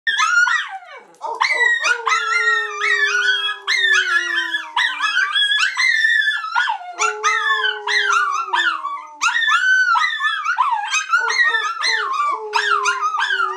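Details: Three dogs howling together as if singing, rewarded for their efforts; overlapping wavering howls rise and fall in pitch with yip-like breaks, one lower voice holding a long, slowly falling tone beneath, continuous for about thirteen seconds.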